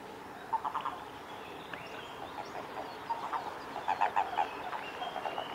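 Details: Japanese common toads (Bufo japonicus) in amplexus (mating) at Kawaguchiko Field Center, Japan, on 22 April 2018, give short, low, pulsed croaks in quick bursts.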